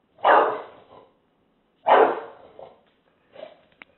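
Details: English Bulldog, a pet dog, barking while confronting a taco box: two loud, rough barks about 1.6 seconds apart, each with a short trailing tail, then a softer, shorter woof.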